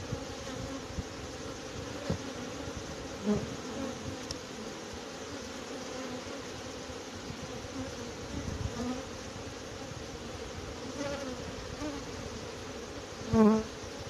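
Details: Small honey bee swarm settled low in a bush, with big drones, being coaxed into a box on 29 March 2021, gives a steady, dense hum of many droning wings; Western honey bee.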